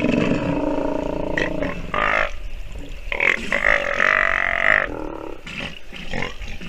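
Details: Sea lion pup, nursing, utters raspy moaning calls, one sustained rising bawl in the middle, with shorter grunting bursts around it and quieter background.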